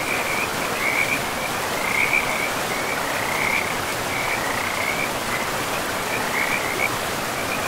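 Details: Riverside frogs in a pristine forest: a high, bubbling trill of croaks recurs in clusters every second or so, riding over steady broadband noise of flowing water.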